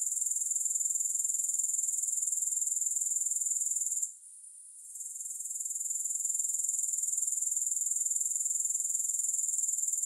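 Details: Shrill, high-pitched insect trill from grasshoppers, steady and rapidly pulsing, fading out for about a second near the middle and then slowly rising back to full strength. No other sounds.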